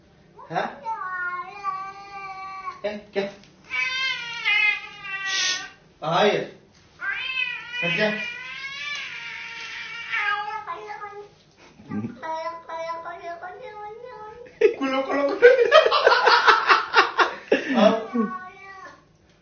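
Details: House cat meowing repeatedly in short, insistent calls, some sliding up in pitch, spaced by brief pauses, ending in a louder, harsher burst of rapid cries.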